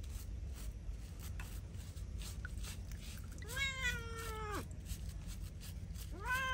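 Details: Feral cat being bathed gives a long drawn-out meow with stacked harmonics, rising then holding steady before dropping away, followed by the start of a second cry near the end; steady low background hum.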